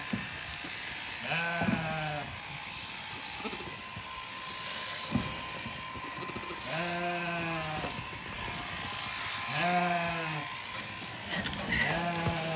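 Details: Late-born Zwartbles lambs on a farm in County Kilkenny, Ireland, calling after their ewe was shorn and looked and smelled different to them. Three or four quavering bleats come every few seconds against a constant low hum.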